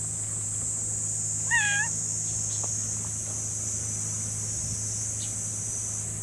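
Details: Tuxedo-patterned stray cat on a table overlooking the sea, seeking affection: one short rising-then-falling meow early on, set against a steady high-pitched hiss and a low hum throughout.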